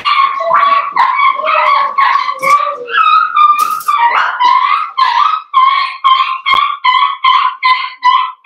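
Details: Blenheim Cavalier King Charles Spaniel puppies, one of a litter of five born at New Year's to Paris and Spike, in a home puppy pen: loud, rapid, high whining yelps repeated about twice per second, some rising at the end.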